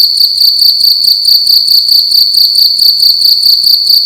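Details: Loud cricket calling inside a room during the night, its shrill pulsed trill broken into quick regular chirps, roughly two every second, unbroken and alone.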